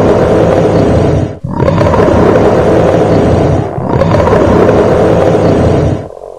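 A bear gives long, deep, rasping roars broken by brief pauses for breath.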